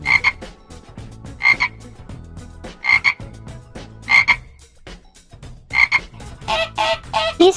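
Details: Frogs give short, raspy croaks repeated about every second and a half, with a denser burst of croaking near the end.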